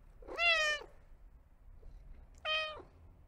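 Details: Two clear domestic cat meows, each a steady, slightly falling tone under half a second long, about two seconds apart, in a quiet indoor setting.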